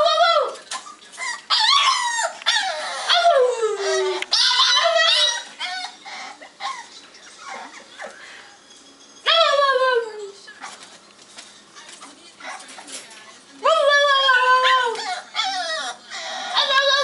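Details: French Bulldog crying: bursts of high, falling whines and yowls, some long and sliding downward, separated by quieter gaps, with a scratchy background and occasional clicks.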